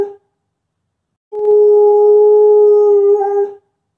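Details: Female dog howling in response to an ambulance siren: one sustained, steady, mid-pitched tone lasting over two seconds, wavering slightly near the end, after a brief earlier note.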